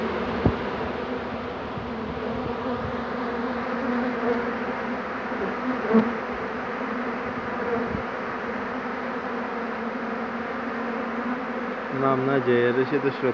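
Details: Second honey bee swarm being captured on 2 June 2019 while bees land all over the keeper; continuous thick humming drone of many wings, with a brief harsher passing buzz and faint voice-like sounds near the end.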